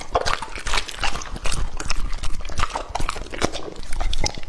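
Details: Wet, slurpy chewing from Lucky, a male English-type Labrador aged two and a half, eating raw meat. Sharp bites and smacking mixed with moist squelches, steady and close.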